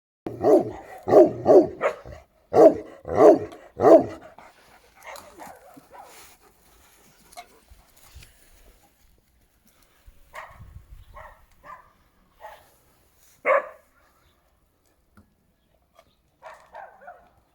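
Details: Šarplaninac dog barking: a fast series of about seven deep, loud barks in the first four seconds, then quieter scattered yelps and short barks with pauses between them.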